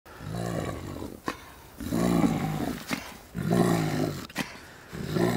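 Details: A spotted hyena (Crocuta crocuta) at a wildlife refuge gives deep, harmonic grunts in bursts roughly every one and a half seconds.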